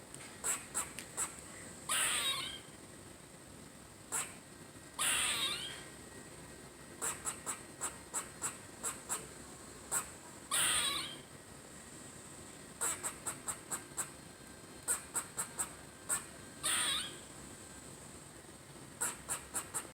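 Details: Squirrely the squirrel, having fun, alternates long runs of rapid sharp high chips with harsh, wheezy, downward-bending moans every few seconds. The sequence continues for twenty seconds in a quiet setting.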